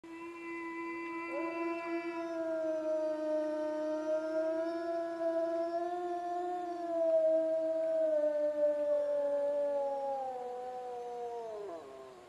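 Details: Wolves howl in a snowy forest, long, smooth, steady notes from one low voice joined by a higher one.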